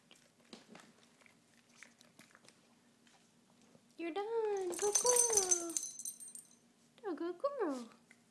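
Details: A pet Basset Hound, indoors in a small room, whines in a run of rising and falling high tones, followed by a shorter pair of sliding whimpers; a woman talks to the dog softly beforehand.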